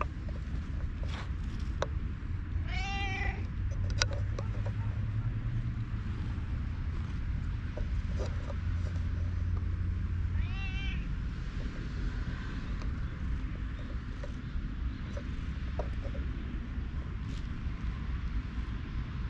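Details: Park-dwelling stray cat uttering two short, arched mews about seven seconds apart, thin and fairly faint above a continuous low-pitched outdoor drone with scattered clicks.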